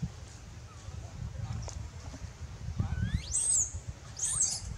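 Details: Baby monkey Lewis, wild, screaming loudly to call its mother for help while in danger: two shrill, high screams near the end, each sweeping steeply upward then holding high, over steady low rumbling background noise.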